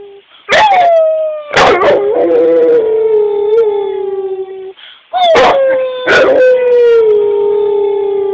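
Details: A pet Rottweiler cries along with its owner, giving two drawn-out howls that start high and slowly sink, with a wavering middle section and several loud sharp knocks cutting across.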